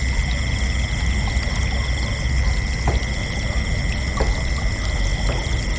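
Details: Crickets chirping at night: a dense, unbroken chorus of steady high trills stacked at several pitches, some faintly pulsing, over a constant low rumbling background with a few soft clicks.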